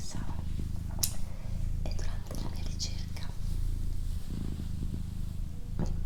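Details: A domestic female cat purrs continuously, the deep pulsing rumble pausing briefly about every second or so as it cycles, overlaid by a person's quiet whispering and occasional sharp soft clicks.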